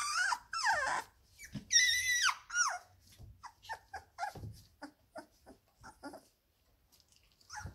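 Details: Seventeen-day-old Labrador Retriever puppies playing together in a whelping box: long, high, wavering whines that sweep down then up, followed by shorter soft squeaks and grunts, with occasional bumps of movement.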